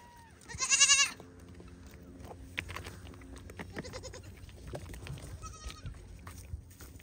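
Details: A young pygmy goat playing on a farm in Knoxville, Tennessee, USA gives a loud, quavering bleat, followed by quieter rustling and shuffling.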